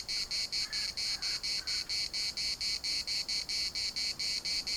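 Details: Pulsing shrill buzz of cicadas in a Larnaca municipal park, around four clear beats per second, with a few faint lower chirps from another creature early on.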